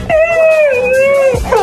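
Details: A husky howls in one long, steady, mid-pitched tone with rich overtones. It dips slightly and holds for over a second, then ends with a brief, higher, wavering note.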